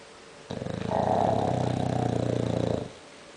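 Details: Conrad, an English bulldog, snoring loudly while asleep indoors: one long rasping, pulsed snore of about two and a half seconds, a dense fluttering rattle that swells in loudness, then stops.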